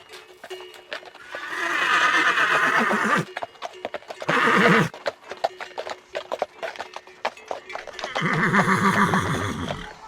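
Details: Horses neighing amid a galloping herd: three long shaky whinnies with a vibrating lower tail, separated by a run of rapid clip-clop hoofbeats.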